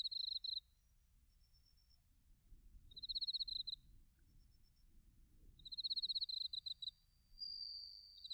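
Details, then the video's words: Autumn cricket chorus from Narita, Chiba, Japan, on a TASCAM Portacapture X8: brief high pulsed trills repeat every few seconds with quiet gaps, faint distant tones between, ending with a sustained ringing note. "秋の音 スズムシとコオロギの鳴き声 - Sounds of autumn, chirping of crickets and crickets"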